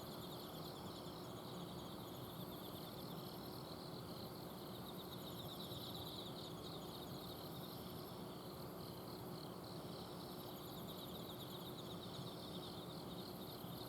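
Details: Autumn insects at night in a garden in Azumino, Japan: bursts of rapid, very high pulsed trills come and go among steady mid-high chirping, all over a persistent low hum from an air-conditioner outdoor unit.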